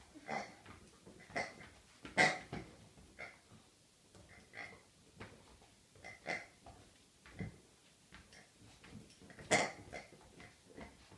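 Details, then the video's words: Rhodesian Ridgeback on its birthday, nicknamed a birthday pig, making short pig-like grunts and snorts in irregular bursts, a louder snuffle near two seconds and another near nine and a half seconds, with quiet breathing sounds between. "Geburtsagsschwein :-) (Rhodesian Ridgeback)"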